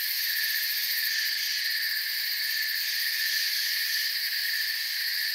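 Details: Steady forest cricket chorus: a dense, shrill, continuous chirping made of parallel high bands, the uppermost flickering in quick pulses, volume constant, with no other sounds in the background.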